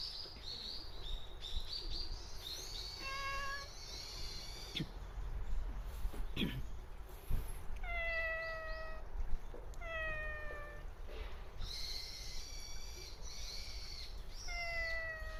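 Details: A cat living at a Japanese shrine, talked to by a visitor, answers with a series of clear harmonic meows, about eight calls spread over fifteen seconds, some short and rising, others longer and falling, over low outdoor rumble.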